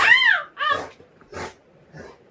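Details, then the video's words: Pet Rottweiler vocalizing because it wants affection from its owner: two loud, high, arching whines with rich harmonics, then a short rough bark and a faint trailing whimper, indoors with no other clear sounds. "Lucky ko abhi pyar karna padega mujhe isliye bhok raha hai"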